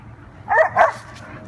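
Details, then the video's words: Dog barking while playing with another dog; two quick, sharp, mid-pitched barks in close succession, with faint background hum. "Barking Eddie playing with Red"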